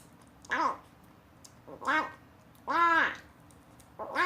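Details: Box-abandoned rescue kitten, one of Rei and Chaehwa (Lemon), tasting weaning food for the first time and giving strange sounds as though finding it delicious; four clear harmonic mews, each rising then falling, about one per second indoors.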